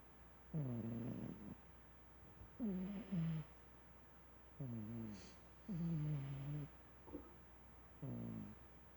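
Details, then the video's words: Cat asleep and snoring, with six gravelly low breaths about every one and a half seconds, each slightly wavering in pitch, in a quiet indoor setting. "Snoring Lilly Cat."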